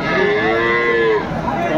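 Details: Dairy cow among improved-breed cows and calves at Aftabganj market in Dinajpur, 30 June 2024: a sustained, slightly arching lowing call of about one second that then fades, set against a busy background of market voices.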